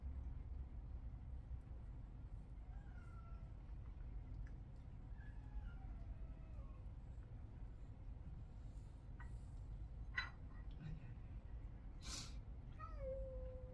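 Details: Domestic cat from a multi-cat household of young and older cats, indoors; several faint, descending meows with harmonics spread through the middle of the recording, one clearer falling meow near the end, with clicks and low room hum.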